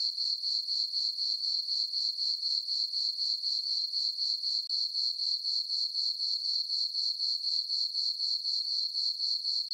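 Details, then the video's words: On a peaceful summer night, crickets in a farm meadow under the full moon keep up a shrill, even trill, beating roughly four pulses each second in an unbroken rhythm, nothing else audible. "Cricket chirping sounds for sleeping"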